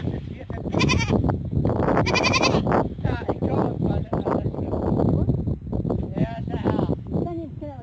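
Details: Goat. Several quavering, nasal bleats rise above the background, each a short tremulous cry typical of goats. Human chatter and laughter run through the whole recording.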